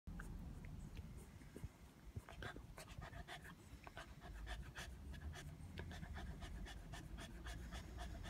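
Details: Border Terrier sunbathing outdoors on a hot day, refusing to come in; quick, soft breathy pants repeat throughout, with a low rumbling background of wind or outdoor noise.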